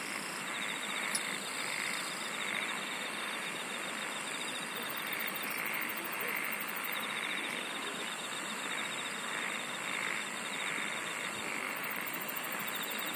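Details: Singing insects in a nature recording: a steady, finely pulsed mid-high trill runs throughout, joined by a very high pulsed buzz in the second half, over a dense, even hiss of background chorus.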